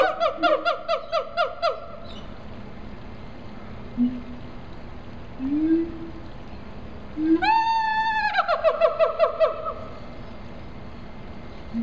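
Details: Zoo siamangs at Riverbanks Zoo, South Carolina: a run of clipped, ringing barks, then a pause with a few soft low booms, followed by a loud rising cry that breaks into another burst of rapid barks.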